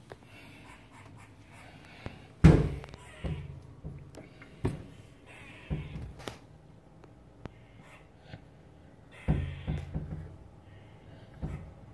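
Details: Dull thumps, knocks and faint rustling in a small room, with no clear animal voice. The bumps come irregularly over a quiet background hum.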